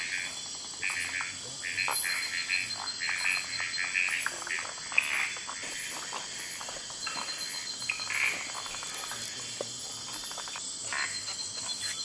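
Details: Frogs calling at night in Kubah National Park: short, sharp, clicking croaks repeated irregularly, over a steady high-pitched insect chorus of the forest nightlife.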